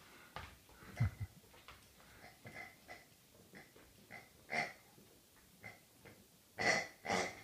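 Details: Rhodesian Ridgeback on its birthday, breathing and snorting in a small indoor room: a run of short wheezy, breathy snorts and sniffs, some louder bursts near the end, no other sounds.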